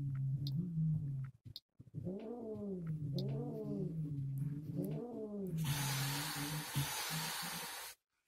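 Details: An angry Siamese cat after a hysterectomy gives a low rumbling growl, three rising-and-falling yowls, then a long breathy hiss.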